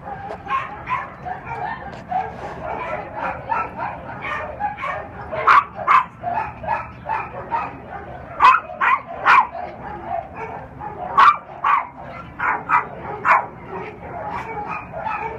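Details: Barking at OC Animal Care shelter from a three-year-old black and tan male Cairn Terrier and Lhasa Apso mix: dense, continuous volleys of yappy barks, some overlapping, with louder peaks every second or so.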